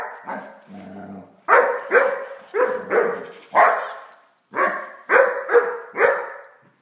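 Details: Great Dane puppy named Blacky playing with a toy dog, giving a run of short, loud barks in quick succession, some doubled, with a brief low whine between the first few barks.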